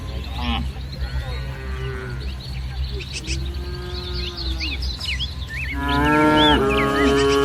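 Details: Village cattle herd gathered in a green rice field in the morning; softer, thin moos early on, then a loud, rich moo near the end, with plentiful bird chirps and steady low background rumble.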